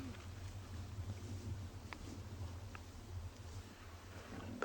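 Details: Lions growl in a steady, deep rumble that rises and falls as two fight over food, much of it from cubs, at sunrise on 25 May 2020 in Tswalu Kalahari Reserve, South Africa; a faint voice and brief clicks are heard.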